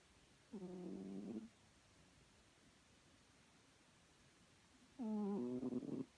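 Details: Chloe the cat snores in her sleep: two humming, harmonic snores almost a second long, separated by roughly four seconds of near silence, the second ending in a rattly flutter.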